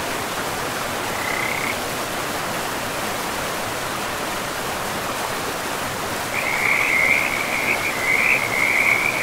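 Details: Frogs beside a river in a pristine forest: after a brief high trill, a longer run of rapid, rattling trills starts midway and carries on, set against a constant rushing of flowing water.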